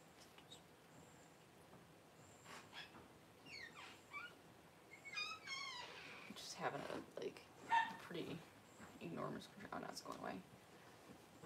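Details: Newborn Cavalier King Charles Spaniel puppies indoors as their mother Paris whelps her first litter: a burst of thin, high, wavering squeals rising and falling in quick series, then softer whimpers, mixed with people talking quietly and rustling nearby.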